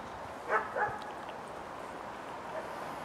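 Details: Saint Bernard puppies, the sisters Panna and Palma: two short, high yipping barks about a third of a second apart near the start, then only a steady soft hiss.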